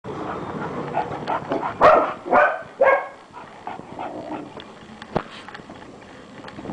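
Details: A female English Bulldog named Danka barks in a few short, gruff bursts near the two- to three-second mark, followed by quieter scuffling and low room noise with a sharp click.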